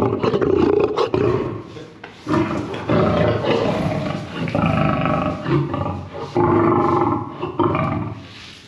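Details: Lion guarding its food, giving loud, deep, rasping roars and growls in long surging bursts with brief pauses between them.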